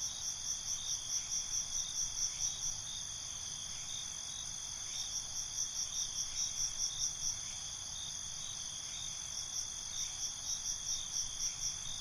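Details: Nocturnal crickets sing a high, shrill chorus. Clusters of quick pulsed chirps come in three runs, at the start, around the middle and near the end, with a steady ringing trill between them.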